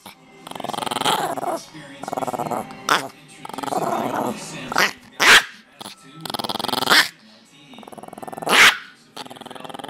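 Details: Chihuahua named Snowie, playing, gives bursts of growling broken by sharp yelping barks, with a human voice now and then.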